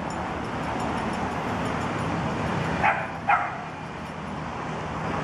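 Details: Toy poodle puppies, 45 days old, running and playing: two short, high yips about half a second apart rise above a steady, low, rumbling background noise.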